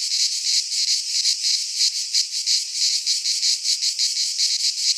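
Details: Greek pine-forest cicadas in midsummer, their song a harsh, sizzling high buzz swelling and fading in quick beats, nearly three pulses each second, nothing else audible.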